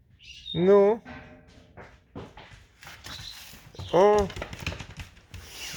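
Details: Alice, a pet fox, out in falling, creaking snow as she lures her owner toward a field: two wavering, whiny harmonic calls, one early and one about three seconds later, with soft crunching steps and faint rustle between.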